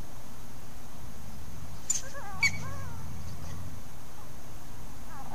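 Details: Trail camera recording of coyotes interacting at Hallam Lake nature preserve: clicks, then several sliding, whiny yips that bend up and down, with a faint rising whine at the end against constant low rumble.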